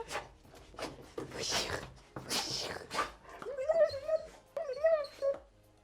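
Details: Excited whimpering from a dog greeting its owner as she returns home in the evening, before its walk; a woman's cheerful voice comes first, then high wavering whines in short bursts.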